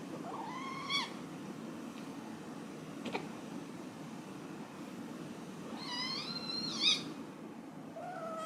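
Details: Domestic cat meowing: a rising then falling harmonic meow near the start, a longer drawn-out meow about five seconds later, and a short third meow at the end, over a steady low background hum with a few clicks.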